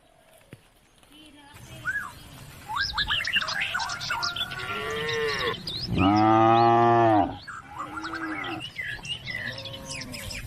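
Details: Cattle calling the herd home to the barn along country roads: one loud, deep, sustained moo near the middle, with busy chirping birds before and after and a quieter low call at the start.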